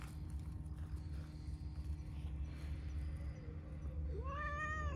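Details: Talkative, clingy pastel calico cat: a faint soft mew, then a louder rising meow that bends down at the close, against a persistent low-pitched background rumble.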